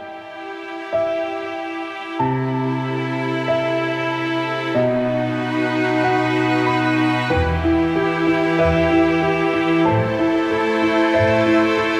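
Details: Slow, sad instrumental music with sustained piano-like chords, and no animal sound.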